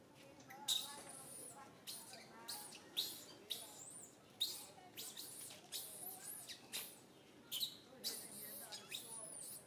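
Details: Young monkey Santo, upset and ignored by his mother Sara, lets out a rapid series of sharp, high squeals roughly every half second, with softer quavering whimpers between the bursts.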